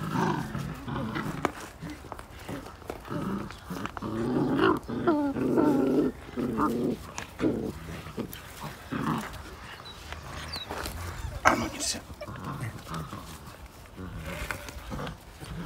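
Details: Several fifty-day-old Belgian Malinois puppies tug at one toy; bursts of throaty growling swell in the middle, mixed with scuffling, panting and sharp clicks from the struggle, fading to quieter rough noises.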